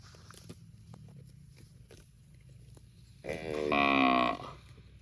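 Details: Cow in a park giving a single drawn-out moo, rich in harmonics and lasting just over a second, following a stretch of quiet rumbling background with faint ticks.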